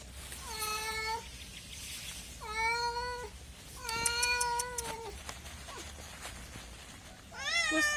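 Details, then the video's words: Cat giving a few drawn-out, level meows spaced about two seconds apart, with faint clicks and a final higher, wavering meow at the end. "MEOWING MEOWING - CAT CUTES - CAT FUNNY - SOUND CAT - MEOW CAT 01"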